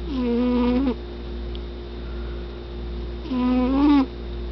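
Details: Domestic cat snoring loudly indoors: two drawn-out, buzzy, steady-pitched tones about a second long, roughly three seconds apart, with a constant electrical hum underneath.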